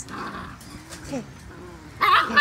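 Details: Seven-week-old Poodle puppies from one litter, including brindle, tuxedo silver sable, apricot and white parti and black pups, give brief high whimpers and a short rising squeal between soft background noise, with a person talking nearby.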